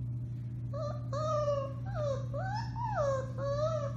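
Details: Alaskan Malamute puppies, four weeks old, Bema and Cole litter, March 30, 2021, give a series of wavering howls that swoop up and down in pitch, several voices overlapping, against a steady low hum indoors.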